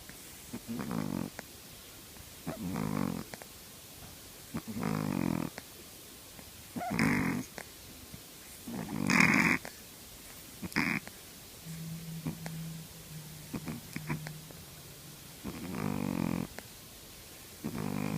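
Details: Sleeping three-month-old Shih Tzu puppy snoring steadily. Short rasping snores repeat about every two seconds throughout, some louder and harsher than others. A faint low steady hum runs through the middle stretch.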